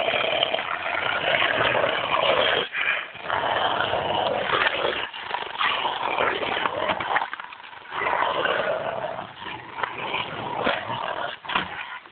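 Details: Two Rottweilers playing give rough, continuous growls and grumbles that break off in short pauses.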